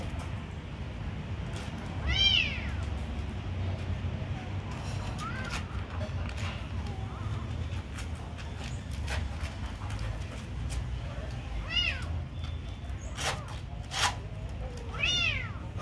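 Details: Kitten mewing while being fed: four thin, arched meows scattered across the recording, separated by long pauses, with sharp clicks and tapping sounds in between and low background hum.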